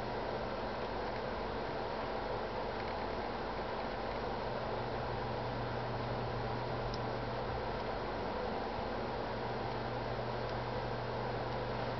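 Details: Steady broadband hum, like a fan or engine running, with a constant low drone and no animal voice.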